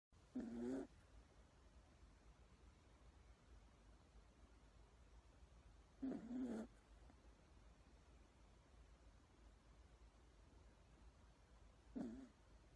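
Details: Toy Poodle asleep and snoring very loudly; three rasping, wavering snores, each about three quarters of a second long, spaced roughly six seconds apart, over quiet background hiss.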